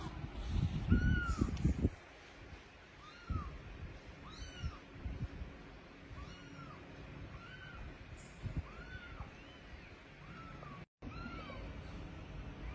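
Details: Kittens rescued after losing their mother call with repeated plaintive meows, each a brief arch, coming roughly once a second in a steady run, with rustling and bumps early on and a short dropout near the end.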